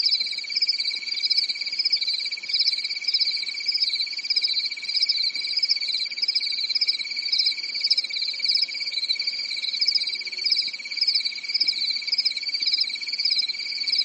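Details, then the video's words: Summer night in a European forest, alive with crickets: a continuous shrill trill and a pulsing higher chirp band roll on evenly, never pausing, forming a uniform, soothing wall of insect sound. "Grillen zirpen in der Nacht"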